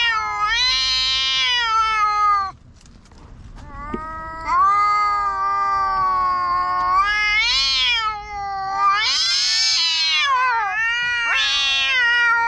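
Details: Loud quarrel between two black stray cats in a park: sustained wavering yowls with sudden rising, strained peaks, one brief lull, then long howls swelling and bending upward again.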